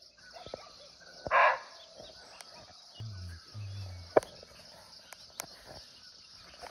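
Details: Barking deer (muntjac) calling from nearby in a natural forest in Nepal, unseen: one loud, short, hoarse bark stands out over a steady high insect drone, with faint clicks and a low hum in the background.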